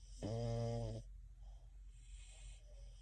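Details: French Bulldog sound asleep and dreaming, cuddling with another French Bulldog, eyes fluttering: one loud, low, droning snore lasting under a second, then softer breathing in a quiet room.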